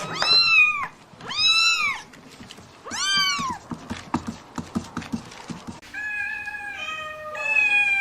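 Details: Domestic cat meowing indoors: three loud, drawn-out meows, each rising then falling, in the first half, then a run of shorter, flatter, steady-pitched meows toward the end with faint background clatter.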